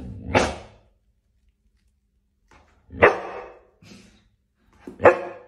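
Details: A golden Labrador Retriever gives single, loud, harsh barks spaced about two seconds apart, barking at its owner's bath bubbles.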